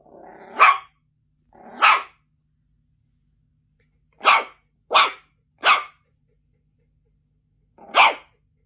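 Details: Yorkshire Terrier letting out loud, harsh barks: two longer, rougher ones with a growly onset, then a quick run of three and one final bark after a pause.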